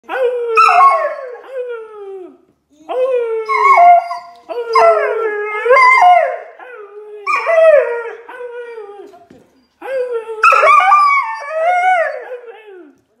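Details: A female Siberian husky in Canada "talks" in long, drawn-out, wavering howls and yowls that slide up and down in pitch, broken by short pauses. The owner is unsure whether she is complaining or wants to chat.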